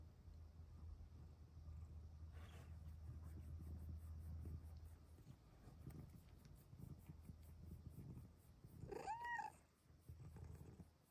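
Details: Luna, a small female Bengal cat, purrs low and steadily, then gives a short, bright rising-and-falling meow as her owner speaks sweetly to her.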